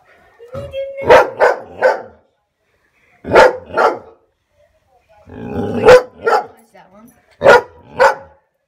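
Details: A Standard Poodle barks at her own reflection in a mirror in short, punchy volleys of two or three sharp woofs. Each volley is separated by about a second of silence, while a person talks faintly in the background.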